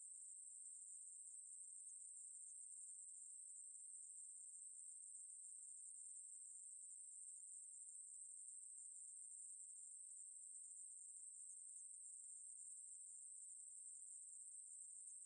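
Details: Continuous shrill buzzing song of a Ruspolia katydid, an even high-pitched hiss that never breaks over fifteen seconds, with a quiet background.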